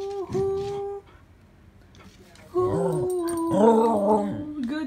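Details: A corgi gives drawn-out, wavering howls as it "sings" when prompted, with a person's voice close by encouraging it.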